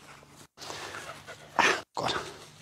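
A nervous German Shepherd gives a couple of sharp, harsh barks aimed at people.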